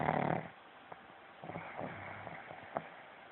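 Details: A pug snoring, recorded on a phone: one loud rough snore with a low harmonic buzz opens, followed by quieter snuffles and faint clicks in a small room.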